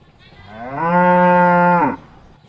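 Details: Tame cattle returning from the rice fields to eat grass in the barn in the countryside: a single steady, loud, tonal moo lasting about one second, rising in at the start and ending abruptly.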